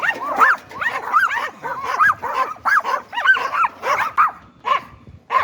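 A Yorkshire Terrier barks in rapid, high-pitched yaps, several each second.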